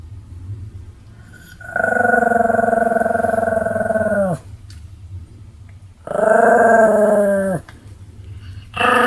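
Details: Sam-chan the Pomeranian, recorded 31 July 2015, gives rather hearty snores: a long, rough, vibrating drone over two seconds, a quiet breath, then a shorter rasping snore and the start of another.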